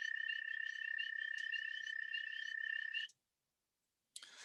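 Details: An American toad in early spring, calling among spring peepers, gives a long, steady, musical trill on one high pitch, sustained without a break.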